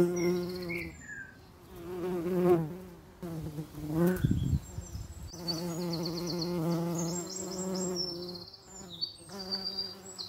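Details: Common eastern bumble bee droning in long buzzy stretches, briefly breaking off with a muffled thump near the fourth second before resuming its steady low hum. High chirps are scattered above.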